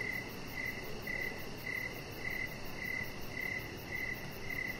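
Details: Cricket chirping in the evening outside by a deck, a chihuahua puppy nearby; clear bright pulses repeat about every half second, evenly spaced, against soft steady noise.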